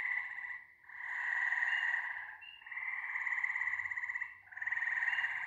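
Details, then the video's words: Massed frogs trilling together, rough rapid pulsing in two swelling bouts separated by short lulls, steady and loud throughout with no other sounds. "Frog Symphony No. 1"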